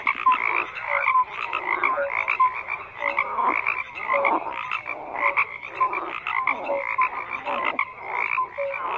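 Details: Frogs croaking in a busy chorus, with many callers overlapping; rapid rasping pulses and brief whistled notes recur constantly, loudness surging in irregular bursts.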